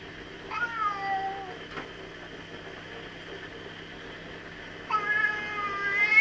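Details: Angry pet cat in a garden, upset by a magpie and an intruding cat, giving two short wailing yowls about four seconds apart, each dropping in pitch, over a quiet background hum.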